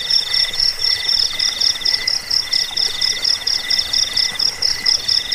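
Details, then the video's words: Cricket chirping meant for scaring off rats, bedtime listening and bird song training; several trilling voices stack at different pitches, the middle one pausing briefly, with pulses coming quickly and evenly. "Suara jangkik pengusir tikus pengantar tidur"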